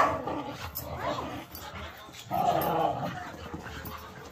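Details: Whippets wrestling in play, making rough, throaty grumbling growls in uneven bursts, with a louder, strained stretch midway through and soft scuffling between sounds.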